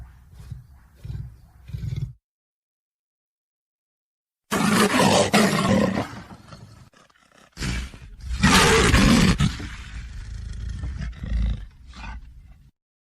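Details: Lion giving low grunting calls, a silent pause, then long loud roars that swell and fade, followed by softer rumbling grunts.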